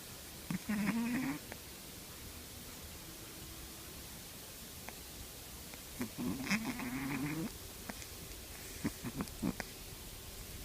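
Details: 13 A three-month-old Shih Tzu puppy snores in short, wheezy bursts, each breath carrying a wavering nasal whistle.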